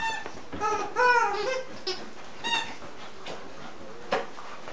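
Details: During an evening play session, 9-week-old English Cocker Spaniel puppies produce a drawn-out, wavering high whine that slides downward, then a shorter whine and a brief squeak over quiet background shuffling.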